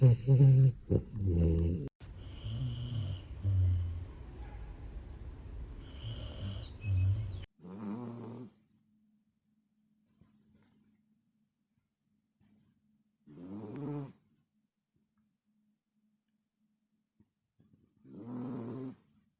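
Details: While sleeping, a dog snores loudly. Heavy rough snoring comes first, then gives way to separate low snorts roughly every five to six seconds, with near silence between them.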